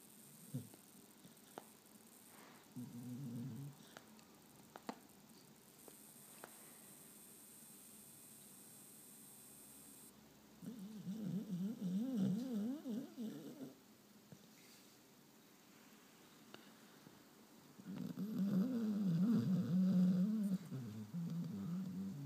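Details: George, a sleeping pet spaniel, snores and blows bubbles indoors. Short low snorts give way to longer loud rasping snores with wavering buzzy breaths, repeated in steady cycles, and a faint high hiss for a few seconds.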